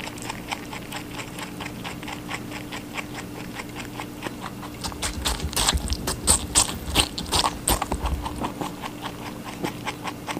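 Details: Rabbit chewing watermelon: soft, regular bites at first, then louder, juicier crunching clusters toward the middle before settling again; faint background hum throughout.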